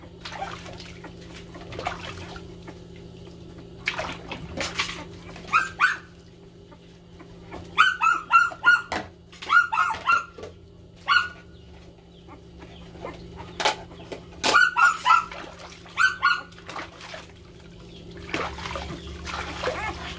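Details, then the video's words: Several puppies crying loudly while vying for attention: bursts of high, sharp whining yelps come in quick clusters of three to five, each call falling in pitch, separated by quiet pauses and a few knocks and clatters. "MGA TUTA KAAGAW PANSIN ANG MALAKAS NA IYAKAN."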